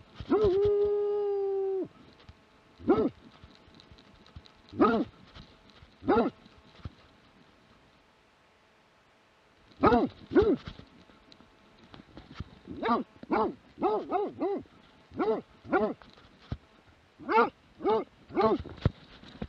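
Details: A Plott Hound, recorded in 2017, gives a drawn-out bay, then a string of deep, ringing barks with uneven pauses.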